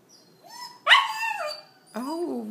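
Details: Pet Havanese excitedly welcoming its returning owner with 'it's Mama'-like vocalizing: a soft rising whine, then a loud sliding yowl that falls away, followed by a shorter arched yelp, with a woman talking nearby.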